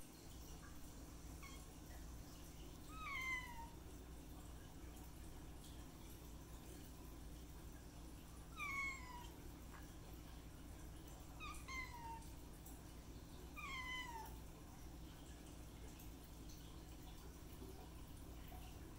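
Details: Kitten meows, four thin falling mews spaced a few seconds apart, high and slightly descending, over a steady low hum indoors.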